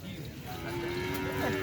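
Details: Small racing cattle of the Lek Ko Lek bull-race team on Sapudi Island, a karapan sapi racing team, give a brief, steady, drawn-out tonal moo that swells slightly in loudness over a low background rumble.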